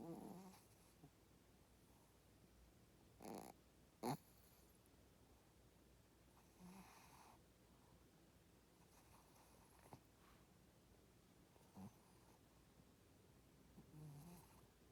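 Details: Female Shih Tzu dog snoring: soft, breathy snorts come in irregular bursts every two to three seconds. Two louder rasping snores stand out near the start, with quiet room hush between breaths.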